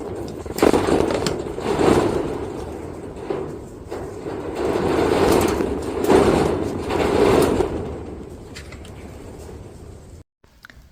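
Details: Repeated broad bursts of rustling and knocking noise rise and fall over a steady background hum. No distinct animal voice stands out from the noise.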